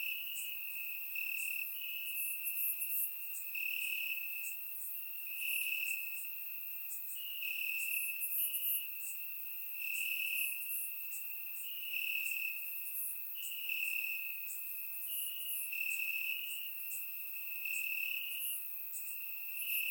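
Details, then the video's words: Many crickets chirping through a warm summer night in Bulgarian grassland, surround-recorded; the high steady trill pulses rhythmically, swelling roughly once a second, while lighter high insect buzzes flicker above. "Cricket Sounds - Crickets Chirping at Night"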